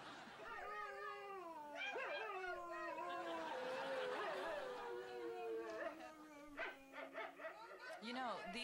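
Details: Dog making a drawn-out, wavering howling vocalization that sounds like talking, long sliding tones that rise and fall over several seconds, ending in short yips, with background hum and a person nearby.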